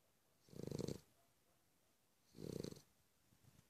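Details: Samir, a Cavalier King Charles Spaniel, snoring: two low, rasping breaths roughly two seconds apart, each about half a second long with a faint hissy overtone, in a quiet background.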